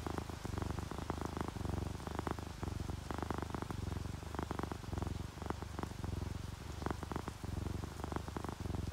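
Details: Content pet cats, a ginger tabby and a calico, purring while relaxed and dozing; low vibrating rumble in regular rhythmic pulses, accompanied by steady rainfall and drips.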